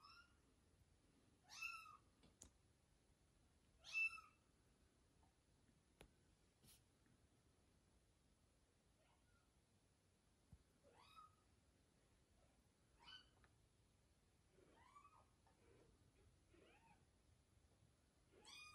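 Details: A newborn kitten, just after birth, gives thin, high-pitched mews that rise and fall at irregular intervals, and yawns.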